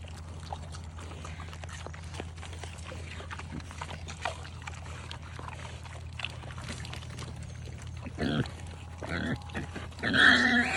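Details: Farm pigs eating eggs: crunching and chewing clicks over a steady low hum, then louder grunting squeals with rich harmonics near the end.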